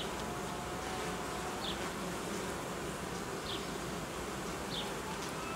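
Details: Buzzing of a honey bee family being reorganised by its keeper, with newly built frames at the colony's edge removed in cold weather. A continuous, even drone with a faint rising tone and a few soft high chirps in the background.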